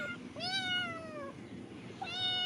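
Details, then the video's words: Several hungry cats wait to be fed fish and give drawn-out, bright meows that dip gently in pitch, then a shorter rising cry at the end, over a low hum. "বিড়াল গুলোকে যখন আমি খাইতে দিলাম ওরা কিভাবে খাবার যাচ্ছিল দেখেন"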